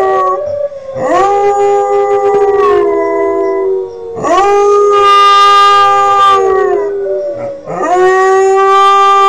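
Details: Kodiak, a young Northern Inuit dog aged 5 months and learning to howl, gives three strong sustained howls, each starting with a rising swoop then holding steady and gently falling, roughly every three seconds.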